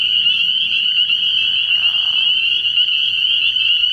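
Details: Dense nocturnal chorus of spring peepers at a frog pond in early year: steady, piercing high peeps overlapping without pause, plus a faint lower smear around the midpoint.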